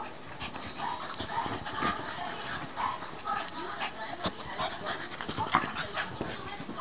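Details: Yorkshire Terrier, called a rapper dog, giving short, high whimpering yips and squeaky vocal bursts in an irregular run, with voices and household noise in the background.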